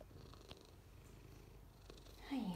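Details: Six-year-old Maine Coon cat waiting for adoption, purring quietly indoors: a low, steady rumble throughout, with a short rising-and-falling vocal sweep near the end.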